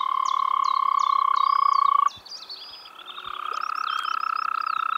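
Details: Spring frog calling in the Czech Republic: a loud pulsed trill lasting two seconds breaks off, then resumes a second later and continues steadily, with repeated sharp bird notes above.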